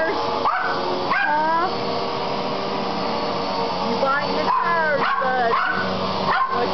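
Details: Poodles upset by a running vacuum cleaner, filmed on a Kodak digital camera: bursts of high, curving yips at about one second, then a cluster near the end, all over a constant motor drone.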